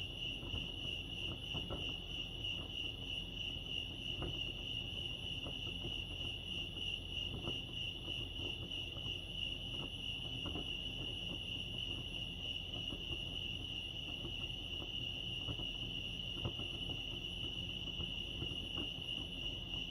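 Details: Chirping crickets by Lake Arrowhead, California, form a sustained piercing whine at one steady pitch, with scattered faint clicks and a low rumble underneath.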